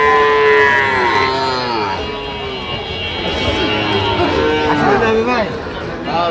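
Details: {'caption': "Sahiwal bull calves at a market in Goalabazar, Sylhet, Bangladesh, 8 October 2025. A long moo sounds at the start, with another brief call midway, over background music and men's voices."}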